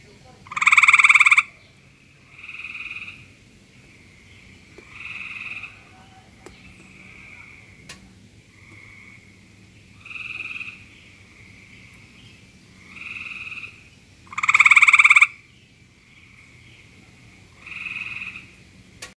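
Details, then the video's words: A frog croaking in search of a mate: bursts of nasal, buzzy croaks, each about half a second long, repeated every two to three seconds. Two bursts are much louder and fuller. A quiet low hum sits in the background. "Cute frog croaking in search of love"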